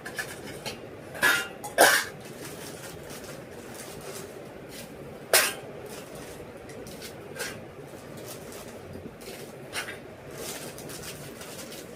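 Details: Sharp clattering knocks, like dishes or utensils, sound over a steady indoor hiss, with no clear animal voice. A cough-like burst also stands out among the knocks.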